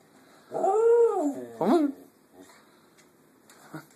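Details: Howling female Sheltie, a pet that loves to sing along: one short arched howl swelling and fading within a second, then a quick rising-falling yip, and faint clicks afterward.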